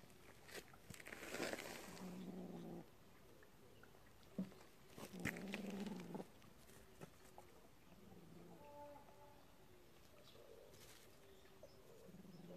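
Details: Kitten from a warehouse cat family playing with a mole caught by the mother cat; two low, droning growls of about a second each, then quieter, shorter murmurs amid rustling and clattering.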